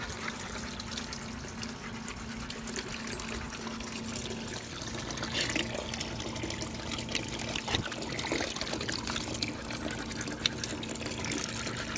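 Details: Steady trickling and pouring water with a faint constant hum, and no animal voice heard.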